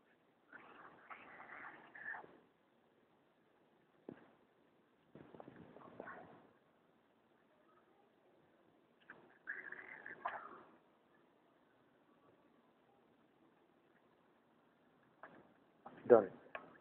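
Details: Pet striped hyena cub at feeding time: scattered bursts of raspy, breathy vocal sounds separated by quiet pauses, ending in a louder, harsher burst.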